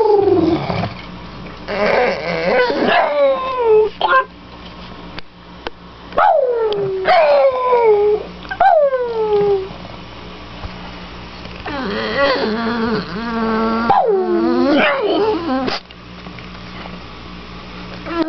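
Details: Happy greeting howls from Victoria, a pet dog welcoming her owners home: a run of looping, falling howls and yelps at an excited, uneven pace, with a few quieter pauses between bursts.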